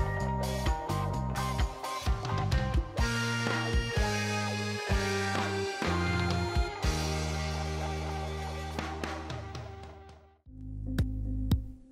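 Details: Upbeat band music with drums, bass and guitar plays throughout, with a short pause near the end; no animal voices are heard.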